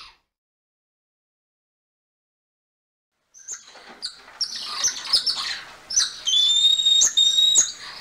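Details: Golden lion tamarin: after about three seconds of silence, shrill high chirps and squeaks start, then a long thin steady whistle is held and repeated, cut by sharp clicking taps.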